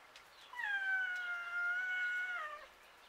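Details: A cat lets out a single long, drawn-out meow of about two seconds, holding a steady pitch before dipping slightly at the end, over a quiet background.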